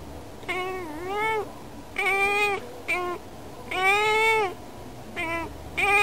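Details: Female cat Yukke calling through a window to outside birds, seeming to say she wants to play with them; a run of six strong meows, some dipping then rising, others long and level, spaced about a second apart.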